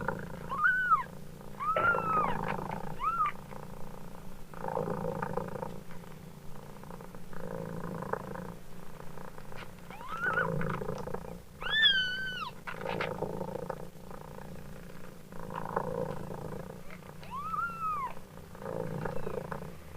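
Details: Long stretch of a mother cat's rhythmic purr, in repeated low pulses, punctuated by scattered kitten meows: short high mews early, a clearer arched cry around the middle, and a few more toward the close.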